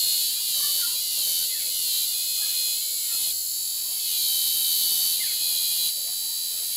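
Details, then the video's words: Cicadas singing in an aroeira tree: a dense, shrill, continuous buzz fills the whole stretch, pulsing slightly in loudness with a few small step changes. Faint softer chirps sit beneath it. "Cigarras na aroeira"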